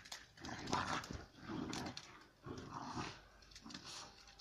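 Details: Two female Central Asian shepherd puppies, Giranda and Gardarika, from Tajik flock-guarding stock, fighting to settle their relations. Deep rough growls come in bursts about once a second, with scuffling in a small room.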